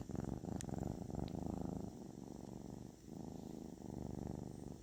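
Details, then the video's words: Therapeutic purring of a kitten: a soft, low rumble in two long breathing phases with a short dip between them, and a couple of faint clicks near the start. "The therapeutic purring of a kitten"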